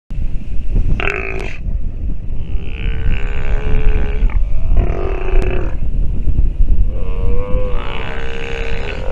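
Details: Sea lion pup calling while nursing, giving repeated harmonic, bleating cries about a second long with short gaps, over steady low wind rumble.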